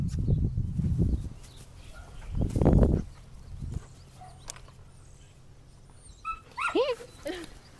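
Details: A female Doberman Pinscher up for adoption, playing with a toy. Low thumps and handling noises come first, then a brief run of high, falling whining yelps near the end, with a woman talking nearby.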